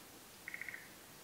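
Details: Forest green tree frog, a species endemic to Japan, heard during midday spawning in the rainy season; a quick run of five clipped, evenly spaced pulsed notes within about a third of a second, over steady background hiss.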